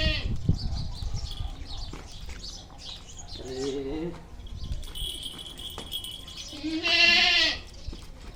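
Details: Native village billy goat, described as small, bleating twice in short nasal, strongly harmonic calls with a wavering, shaky tone, the second louder and longer; a man talks in Marathi between the calls.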